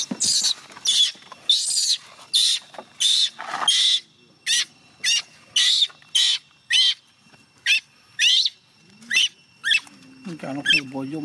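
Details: Young chimpanzee Gina crying and refusing to let her carer go home: loud, harsh, noisy screams repeated in steady bursts about every second, with short silent gaps between them, then a low murmur near the end.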